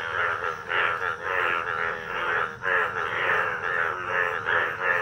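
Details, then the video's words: Monsoon breeding chorus of Indian bullfrogs at a village pond, yellow males with blue vocal sacs; a continuous wall of coarse, bleating croaks rising and falling in rapid overlapping waves, loud and close. "Indian Bull Frog / Frog Sounds"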